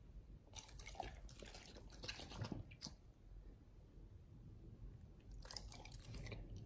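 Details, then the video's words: Raw-fed Pit Bulls eating beef shank with liver, tripe and duck wings: scattered moist bites and squelching crunches in two bursts, separated by a quieter gap of low rumble. "Pit Bulls eat Raw Beef Shank combo [ASMR] | BARF | MUKBANG 動物の咀嚼音 | 犬が生の肉を食べる"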